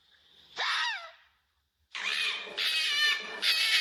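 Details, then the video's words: Fox in its natural habitat: one sharp, harmonic cry that slides downward, then after a short pause a run of three harsh, high, raspy barks close together. "Som da Raposa Latido"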